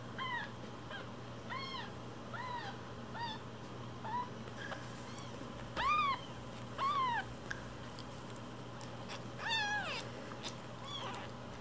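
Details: Week-old rescued kittens, named Cookie and Nan, fostered indoors with umbilical cords still on, cry in a run of high arched mews, some rising and falling sharply, with a few clicks and handling noises over a constant low hum.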